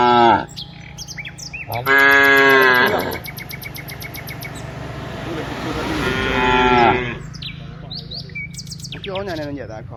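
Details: Cows heading from the rice fields back to the village give two long, rich moos about four seconds apart, each lasting over a second, amid sharp bird chirps and low background hum.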